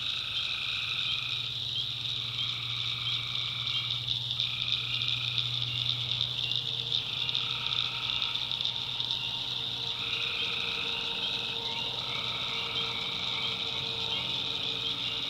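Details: Nighttime tree frog chorus in a North Carolina swamp: high continuous shrilling, mid-pitched raspy trills in one- to two-second bouts, and a faint low steady hum underneath.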